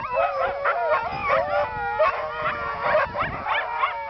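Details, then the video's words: Siberian Huskies howling in a chorus, several voices overlapping continuously with wavering, bending tones that rise and dip every half second or so, with no pause throughout. "Singing Siberian Huskies"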